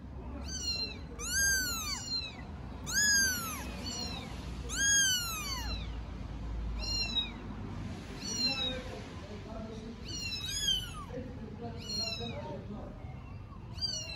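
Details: Three 4-week-old kittens meow all at once, as if talking together. High, arching cries come about every one to two seconds. Some overlap and others trail off fainter, over a low background hum.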